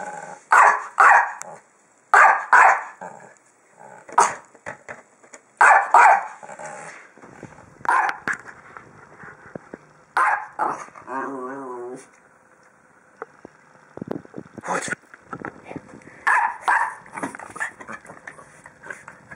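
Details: Playful barking from the dog Little Ginga while dancing around a big red ball: loud, sharp barks in bursts, a short wavering growl in the middle, then more yips and barks toward the end.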